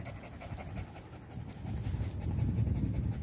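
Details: Close, low panting from a village dog (anjing kampung) in Indonesia on 18 April 2021, a rapid run of about three to four breaths per second that gets louder in the second half.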